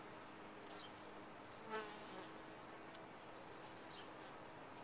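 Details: Continuous low hum of honey bees in a top-bar hive, with a brief sharp knock or rustle just before the two-second mark, then the even droning resumes.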